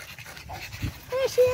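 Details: Boston Terrier puppies, an eight-week-old litter, with two short level whines close together near the end, after soft rustling and a woman speaking.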